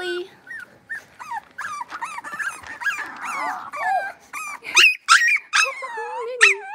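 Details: Blenheim Cavalier King Charles Spaniel puppies at six weeks, five littermates in a home pen, mixing wavering whines with short high yips that grow louder and sharper toward the end.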